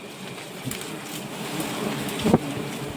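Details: Steady rain-like hiss with a brief louder knock near the end; no animal voice stands out.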